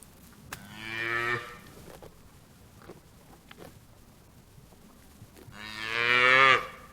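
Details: Cow mooing on a farm: two long, loud, low harmonic moos, one near the start and one near the end, separated by a quiet stretch with a few faint clicks.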